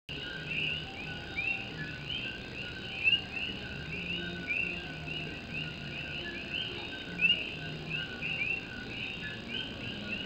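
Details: Many Puerto Rican coqui frogs singing at night in the rain in Puerto Rico: a dense, high chorus of overlapping chirps with a few louder, sharply rising whistled notes every second or two, over steady rain drumming on an old tin roof.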